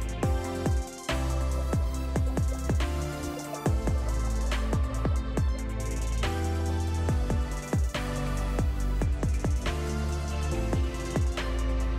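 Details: Electronic music with a steady deep bass and plucked notes plays throughout, with no animal sounds.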